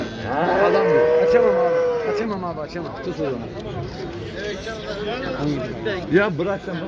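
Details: Cow on a livestock fattening farm giving one drawn-out moo that rises and then holds level for about a second, with men chatting and bargaining over prices throughout.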